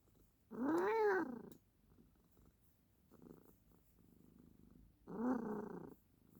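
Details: A domestic cat gives two drawn-out meows about four seconds apart, each rising then falling in pitch, with faint soft rumbling between them and otherwise quiet surroundings.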